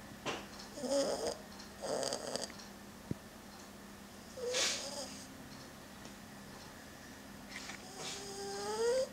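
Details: Sleeping male French Bulldog puppy Udon, cuddling a stuffed toy received at Yamashita Park, snores in short raspy bursts, several breaths in quick succession then a pause and a longer wheezy inhale, quiet indoor background.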